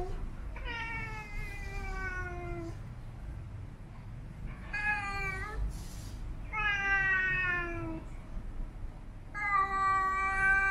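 A Siamese cat utters four long, sing-song yowls, each about two seconds, rich in overtones and gently falling in pitch. Short pauses separate the calls, with a faint background hum.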